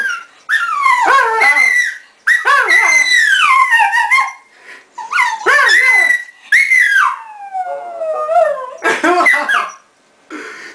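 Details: Bóris the dog vocalising in long, wavering, talk-like howls that rise and fall in pitch, delivered in four drawn-out bursts separated by brief pauses, ending in short yelping notes.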